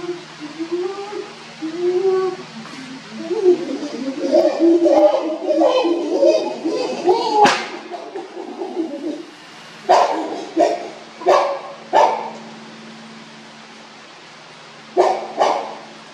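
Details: Chimpanzees making a commotion at the Los Angeles Zoo on 30 January 2021: a run of rising, tonal hooting calls builds in pitch and intensity, then gives way to loud, harsh screaming bursts, three close together and a final pair.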